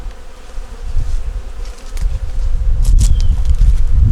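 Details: Honey bees in a nuc colony working to make it through winter, heard while the hive boxes are opened for a winter inspection: a low, steady hum under rumbling handling thuds, with a few sharp knocks near the middle.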